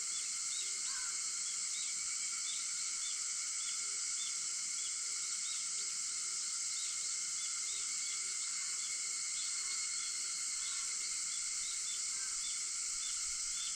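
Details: At 4:50 on an August 4 morning, cicadas keep up a continuous high, even buzz; steady insect tones sit below it and soft bird chirps appear here and there across the recording.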